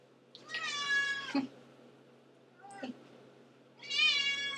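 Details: Cat Antigone, known for never stopping her meowing, utters a long wavering meow ending abruptly, a brief chirp-like sound, then another strong meow, indoors with a low background hum.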